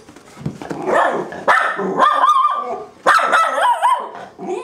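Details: Two Miniature Schnauzers at home, crazy with joy as one of their owners returns, give loud, wavering high whines and yips that rise and fall in pitch, overlapping one another, with a person's voice talking to them.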